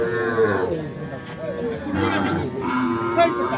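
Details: Sahiwal bull calves raised for fattening, at Ambari cattle market in Parbatipur, Dinajpur, on 10 February 2025; a calf gives two long, low, harmonic moos, the second rising slightly, over steady market chatter and crowd noise.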